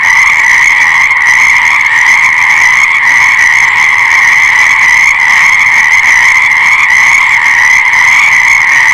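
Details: A thick chorus of frogs, countless callers overlapping into one continuous shrill trilling wash that holds the same pitch and loudness from start to end.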